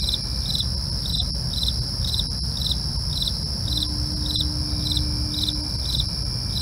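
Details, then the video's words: Nighttime cricket chorus: regular chirps about twice a second on top of an unbroken high ringing trill, a brief low steady tone midway and constant low-frequency hum. "night crickets asmr for you, can't sleep? try to relax with our real sound"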